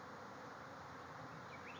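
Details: A swarm of bees pours from a backyard hive, thousands in the air at once, making a continuous broad droning buzz that holds level throughout.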